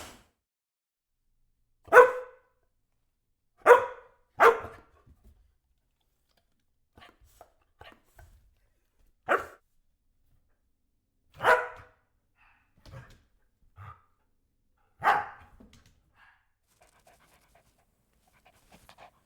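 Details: Single dog barks spaced irregularly, a few seconds apart with quiet gaps between them, plus a few softer faint yips.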